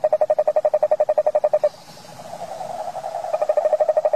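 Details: Toad calling, a rapid pulsed trill of evenly spaced notes at a mid pitch, steady for over a second before shifting into a smoother, buzzier drone, then returning to distinct pulses; quiet background.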